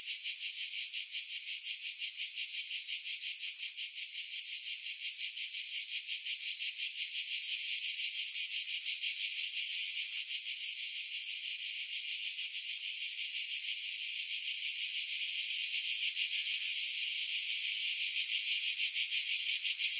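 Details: Cicada song from pine trees 50 m above the sea, Pefkos Bay, Skiros Island, Greece, July 2018, recorded on a Sony RX3 with external mic; an unbroken high buzzing drone with rapid fine pulsing that swells louder toward the end.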